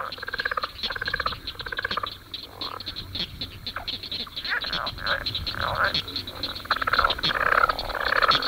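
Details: A leopard frog, which has paired balloon-like vocal sacs on each side of the throat, gives its mating call: rough, snore-like rattling trills in uneven bursts, broken by short guttural clucks and grunts.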